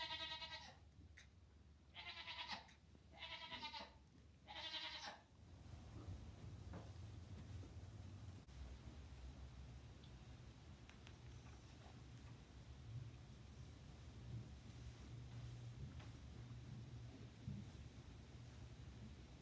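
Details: Two-day-old Nigerian Dwarf goat kid Hector, newborn in a barn beside three barn kittens, gives three loud quavering bleats in quick succession, then falls quiet as rustling and soft shuffling in wood shavings continue.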